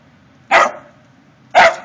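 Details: Mingus, a dog, barking to alert to a deer intruder in the backyard: two loud, sharp barks about one second apart, each short and broad with a quick fade, over a quiet background.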